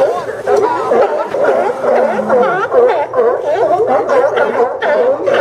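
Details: Sea lions at the Newport Sea Lion Docks, Oregon, on September 20, 2015, barking in quick, irregular, throaty bursts about twice a second, many animals calling at once.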